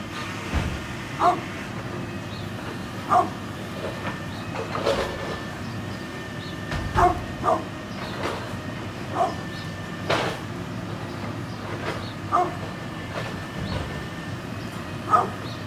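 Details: A 9.5-year-old brindle pit bull barks in brief clipped bursts scattered through the recording, about every one to two seconds, against a constant rumbling mechanical background.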